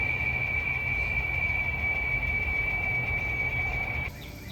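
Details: A cicada in San Antonio, Texas, along the River Walk trail gives a steady, high-pitched whine holding one note for about four seconds, then cuts off; it sounds different from cicadas the recordist knows.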